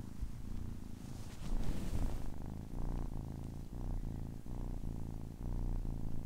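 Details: Kitten aged 10 weeks purring, a low throbbing rumble with a brief rustling burst around two seconds, then regular breath-by-breath pulses.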